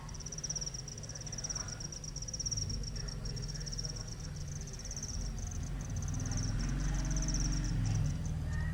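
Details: Cricket producing sound with its wings: a continuous high, finely pulsed trill across the whole recording over a constant low-frequency hum, the trill fading slightly toward the end.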